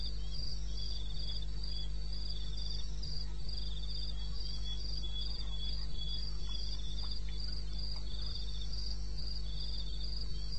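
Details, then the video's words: Night chorus of crickets in eastern Botswana's wilderness, recorded 21 May 2016 at 2:30 AM: a rapid train of piercing, evenly spaced chirps, overlapping lower pulsed trills that come and go, all above a constant deep background drone. "1 Hour cricket sound"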